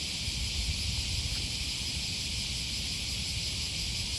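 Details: Morning cicada chorus by the Okawa River in Osaka, Japan, in August 2020, near Sakuranomiya Park: an even, shrill, hiss-like buzz fills the whole stretch without pause, with soft low city rumble beneath.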